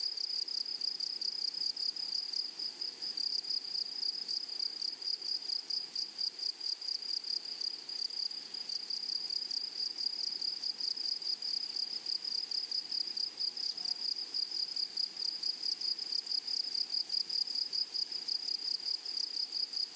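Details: Grasshoppers in a flowery meadow give a steady, shrill, high-pitched chorus of rapid pulses, with a fainter even higher band above, continuing without pause throughout.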